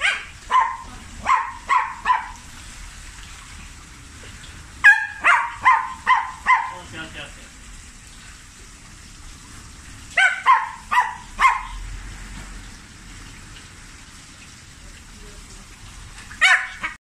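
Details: Shiba Inu named Maruko, afraid of the pool, letting out loud, sharp, high yelping barks in rapid clusters of four to six, pausing between bursts, with a single isolated cry near the end.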